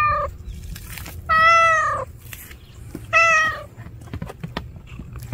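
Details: Cat, tagged as a stray, giving two clear drawn-out harmonic meows about two seconds apart, the first longer and slightly falling, the second shorter; a brief faint call at the start and light background noise.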